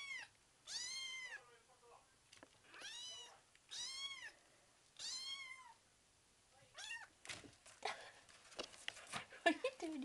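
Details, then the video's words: Five-week-old kitten, indoors, too young to leave and wanting to play: four loud, drawn-out meows with a rising then falling arch, about a second apart, followed by rustling, handling noises and a woman's voice. "Talking Kitten"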